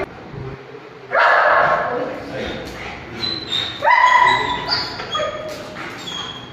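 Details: An aggressive Golden Retriever brought in for training in Gujarat lets out two loud, harsh barks a few seconds apart, with people talking in the background.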